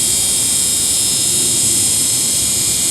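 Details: Crickets calling very loudly in daytime from a big tree and the surrounding area beside the Murti River in the Dooars; a dense, unbroken high-pitched hiss fills the whole stretch without pause.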